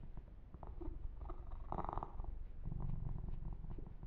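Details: Kitten named Yumak purring under a gentle massage: a low, buzzing rumble with a brief burst of rubbing sound in the middle.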